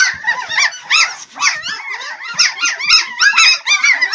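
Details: Swedish Elkhound (Jämthund) puppies, twelve in the litter, giving a busy chorus of sharp, high, arched squeaks and yelps, roughly two per second, overlapping continuously.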